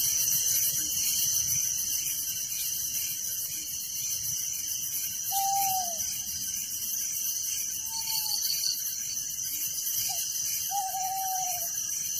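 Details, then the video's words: Crickets chirping through the night in a village form a steady shrill pulsing backdrop, joined by three short, slightly falling tonal calls from another animal spaced a few seconds apart. "Relaxing Night Crickets Sound in Village"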